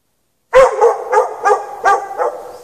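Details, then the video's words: Chained outdoors in snow with no shelter for hours at night, a dog barks in a rapid run of about six harsh, evenly spaced barks, each fading slightly into a reverberant tail. "Dog barking chained out in the snow"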